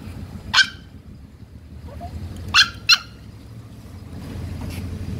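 A Pomeranian gives a few sharp, high-pitched yaps over a low, steady rumble.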